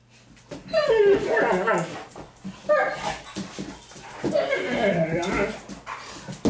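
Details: Playing Great Danes Milly and Izzy romp through the house, giving wobbly, moaning whine-growls in three loud bursts separated by short pauses, while human voices chatter over the noisy scuffle.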